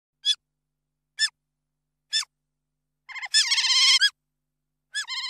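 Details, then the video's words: Otter squealing: three short, high-pitched harmonic squeals about a second apart, then a longer wavering, rapidly pulsing squeal burst, then another squeal at the end, with silence between calls. "The Strange Sound Of An Otter Squealing!"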